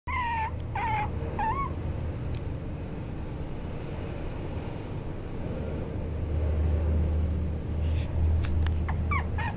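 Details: Young male parti-colour Chihuahua giving a few short high whimpering whines, each with a quick upward twist, at the start and again near the end, over steady low room hum.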